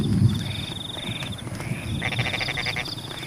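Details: Frogs calling during rain in rice fields with embankments: after a low rumbling start, a burst of rapid pulsed croaks arrives in quick succession, over a steady high insect trill that repeatedly stops and restarts and a soft wash of rain.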